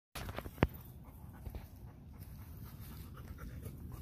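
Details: A Golden Retriever happily rolling and lying in the grass, panting softly, with low rustling and a sharp thump or two.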